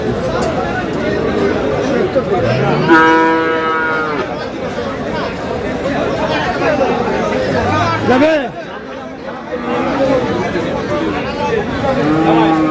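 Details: Bull calf of Friesian or crossbred stock at Aftabganj market, Dinajpur, 22 August 2026, gives one strong moo over a second long, then a brief fainter low call later, amid busy crowd noise and talk.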